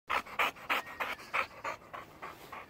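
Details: A Boxer dog, trained from puppyhood to drink water from a bottle, pants in quick rhythmic, breathy bursts: about nine hoarse puffs in under three seconds, evenly spaced roughly a third of a second apart, softening slightly toward the end.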